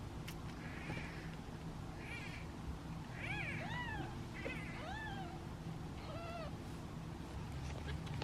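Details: Impatient meowing from hungry kittens waiting in a basket at feeding time, one of seven in the litter; short rising-and-falling meows cluster in quick succession, some overlapping, with a constant low background hum.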